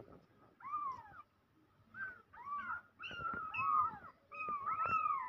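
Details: Newborn domestic kittens mewing in a rapid series of high, arched calls, several overlapping near the end, each bending up then down, with faint handling noise beneath.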